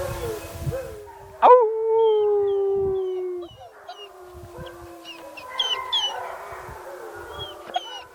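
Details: Several German Shepherds begin their pack howling, a routine they do once or twice a day, with long, sustained, wavering tones that overlap and rise and fall.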